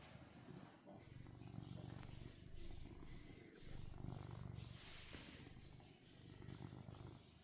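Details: Domestic cat attached to its owner's hand, purring continuously in low, throbbing waves that rise and fall with its breathing, with soft rustling and handling noise over the top.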